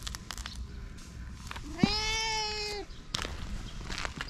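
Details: A fluffy cat in Japan gives one loud, drawn-out meow lasting about a second, steady in pitch then dipping at the end, amid soft clicks and background rustle.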